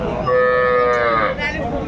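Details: Cattle at Aftabganj livestock market, Dinajpur, on 12/2/25, among cows and calves offered for sale; one loud, sustained, steady-pitched moo lasting nearly two seconds, with people talking around it.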